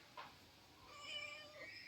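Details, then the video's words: Sulking female pet cat refused a massage gives a faint, drawn-out meow with a slight pitch wobble, rising gently then easing off, after a brief soft click at the start; quiet indoor background. "भांडखोर पोरगी कशी रुसुन बसते मसाज करत नाही बोललो तर!"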